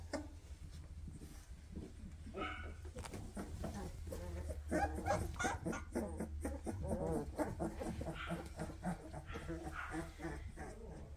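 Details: A litter of 2.5-week-old Weimaraner puppies, eyes just opened, follow their mother asking to nurse, filling the air with dense, overlapping squeaky whimpers and whines, several pups calling at once over a low background hum.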